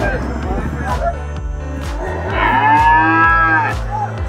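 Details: At the heifer market in Peth Vadgaon, a young heifer gives one long, arched moo in the second half, rising and sinking in pitch, while music plays steadily beneath.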